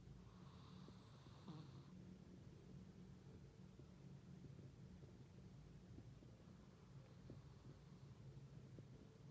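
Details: Chihuahua named Funtik asleep and snoring indoors: one clear rasping snore at the start, then a fainter breathy one later, with quiet low room hum throughout.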